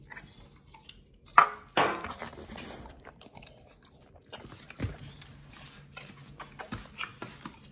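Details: Raw-fed Pit Bull Nomyen biting and chewing New Zealand green-lipped mussels and raw meat in a small room; sparse clicks and a sharp crunch early, then intermittent moist chomping and soft smacks spaced a second or so apart.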